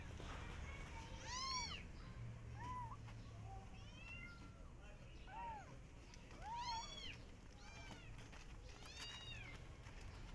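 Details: A Persian cat with her adopted kittens, walking through a garden and watching rabbits. About six short, arching meows come at uneven intervals, some brighter and higher than others, over a low rumbling background.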